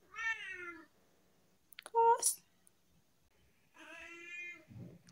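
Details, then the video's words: Talkative tabby cat at home letting out two long wailing meows separated by a short, sharper chirp-like cry, with a soft rustle at the end and little background noise. "My cat has a lot to say today"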